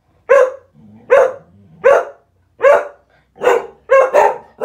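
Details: Cocker spaniels "sing", giving short, ringing barks in a steady run, with low grumbles between them.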